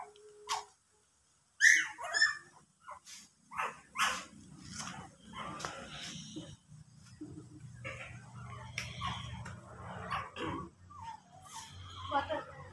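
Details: Dog producing a sharp, loud bark followed by several shorter, rougher barks and whining sounds over a steady low background hum, with occasional softer noises between calls.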